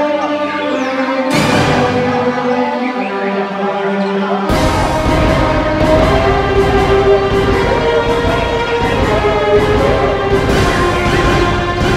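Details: Dramatic orchestral theme music with deep drums and sustained tones plays throughout, with no animal voice to be picked out.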